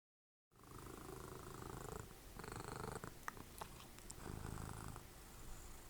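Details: Dessie, a cuddly domestic cat and mother of Fritjof, snoring while cuddled up during TV watching; a steady low rumbling drone runs throughout, with television voices and music in bursts above it.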